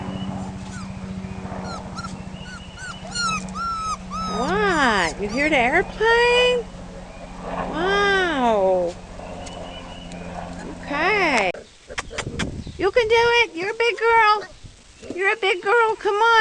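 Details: Four-week-old puppies on their first time outside, giving high, arching whines and whimpers in bursts, each cry rising then falling with strong overtones. A woman keeps encouraging them in a soft voice between the cries.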